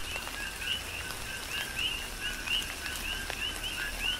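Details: Coqui frogs in tropical rain on the Big Island of Hawaii, sharp high chirps sweeping upward several times a second, a few standing out loud and clear above the chorus and the falling rain.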